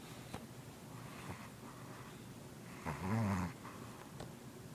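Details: Pet dog sleeping and daydreaming indoors, snoring: soft low breathing, then a louder rumbling snore lasting about half a second, followed by quiet breaths and light clicks in a small room.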